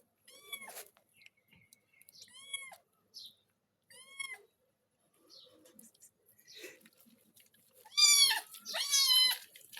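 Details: Pet cat meowing repeatedly while being washed with shower gel and shampoo. Three evenly spaced short meows come first, then a pause with faint water sounds, and finally two louder, drawn-out cries close together.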